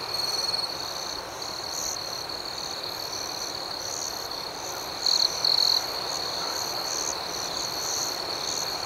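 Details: Nighttime crickets chirping gently outdoors, a continuous high, even trill forming a calm backdrop, broken once past midway by a louder pair of brief chirps before the steady hum resumes.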